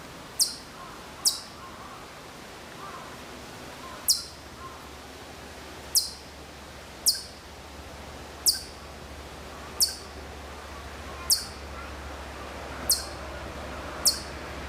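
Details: At Maruyama, Sapporo, a Hokkaido chipmunk far off calls in September 2014 with about a dozen crisp, very high chips spaced irregularly, sometimes in quick pairs, sometimes gaps of several seconds, over a low steady hum.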